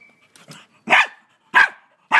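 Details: Scared pet dog in Australia lunging at a huge mantis, barking sharply three times in quick succession, each bark loud and rough with a slight whine at its top, soft snuffling before.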